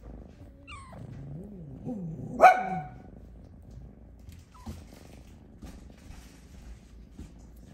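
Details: A Snow Lynx Bengal cat napping in her hammock gives a low, wavering meow and then one short, loud cry, asking to be petted.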